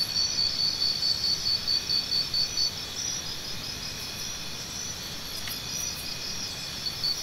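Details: Cricket sounds for tinnitus relief: a run of evenly spaced high chirps, about two per second, for nearly three seconds, then a steadier shrill drone with a few faint higher ticks.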